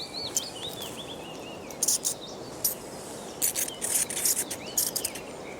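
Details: Natterer's bats (Myotis nattereri) in a roost box at Winspit Quarry, Isle of Purbeck, give social calls. Many bats, warm and active, make faint, high, curving squeaks and bursts of scratchy chatter.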